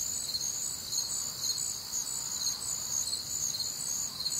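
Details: Crickets at night in a warm, humid Midwestern summer, a constant shrill pulsing chorus of high chirps repeating about twice a second, several insects blending together.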